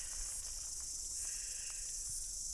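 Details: Crickets in New Zealand during a very dry summer, heard but unseen near a waterfall picnic area, chirp nonstop and merge into a steady high-pitched shimmer with no breaks.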